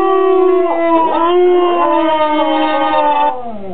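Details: Female pet dog howling at an alarm clock she hates; one long sustained howl with rich stacked harmonics, the pitch dipping then sliding up and wavering before holding steady and falling away near the end.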